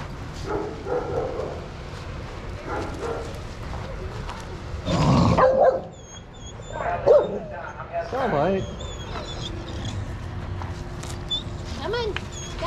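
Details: Shelter dogs at play in a yard at Pima Animal Care Center, Arizona, watched by handlers; several sharp barks burst out around the middle amid a busy mix of people talking and general yard noise.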